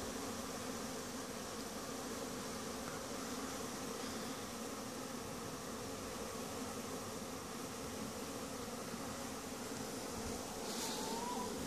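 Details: Honey bees making a winter cleansing flight from Langstroth-Root hives after the entrance guards were removed so they could clean: a dense, steady buzzing hum that continues without a break, with a brief higher whistle near the end.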